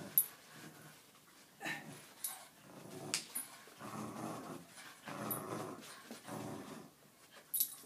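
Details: Jack Russell Terrier playing tug with a KONG Puppy Flyer indoors, giving low rough growls in bursts of about a second, spaced irregularly, with scuffling and a few sharp clicks between them.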